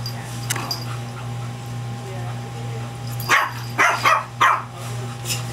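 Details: Shih Tzu barking while facing down an English Bulldog as both wait at the vet: a few short, sharp barks in quick succession near the end, over a steady low electrical hum and faint background music.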